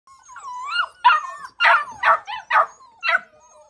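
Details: A Labrador Retriever puppy whines briefly, then gives a run of sharp, mid-pitched barks.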